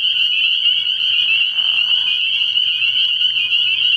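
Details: Early spring night chorus of spring peepers at a frog pond: a piercing, constant high trill of many overlapping voices, with a brief lower murmur midway and a faint deep hum below.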